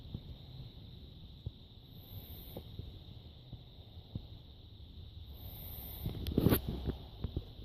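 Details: Emma, a pet pug, snores while napping: a steady low rumbling drone of sleepy breathing with faint ticks, rising to a louder snorting burst toward the end.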